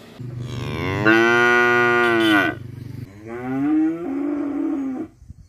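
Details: Cow in a Bangladesh village mooing in its daily routine: a strong drawn-out moo of about two seconds followed by a softer, lower, wavering moo, with a steady low hum underneath throughout.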